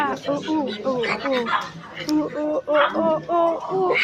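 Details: Silvery gibbon notes in quick succession, short hooting calls stepping downward in pitch and repeated at an uneven pace, with a second voice joining midway.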